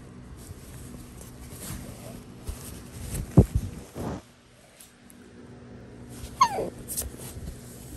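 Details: Basenji, the barkless dog breed, meowing indoors at home: two short whiny yelps that sweep sharply downward in pitch, about three seconds apart, over low room hum and soft rustling.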